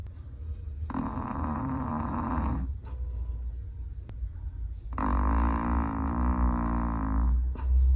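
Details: Black-and-tan long-coated Chihuahua asleep and snoring: two long droning snores, each lasting about two seconds, a rough low buzz separated by a brief quiet breath.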